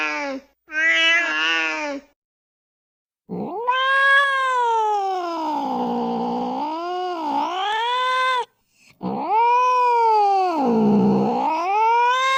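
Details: Cat calls meant to draw cats out of cars and narrow spaces. A short meow is followed by long, wavering caterwauls that dip and rise in pitch, each lasting several seconds, with a brief pause between them.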